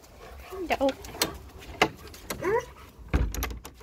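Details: Pet German Shepherd welcoming its owner with brief rising whimpers, a few quick squeaky notes in under four seconds, mixed with a human voice and some knocks or clatter.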